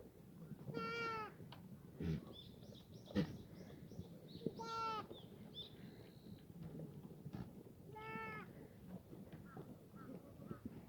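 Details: Black goats grazing free-range in the farm yard below Muchuksan, Gimhae, South Korea, sunny June morning 2019; three clear, nasal, wavering bleats about every three and a half seconds, each roughly half a second long, over soft rural background and thumps.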